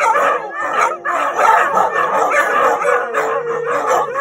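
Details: Siberian Huskies joining in their nightly howling session: dense chorus of loud, quavering howls and yodeling yips from several dogs, pulsing in short waves.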